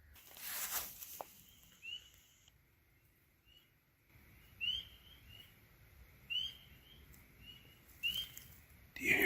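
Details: A spring peeper near a cabin in the bush, calling unusually early in the spring, gives clear, high, upslurred peeps, one roughly every second or two.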